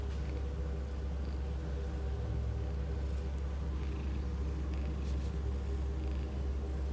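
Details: At the Blue Cross Cambridge Rehoming centre, Tiger the cat gives an unbroken low purr, a dense rumbling drone pulsing evenly throughout, with a few faint clicks and soft background noises above it.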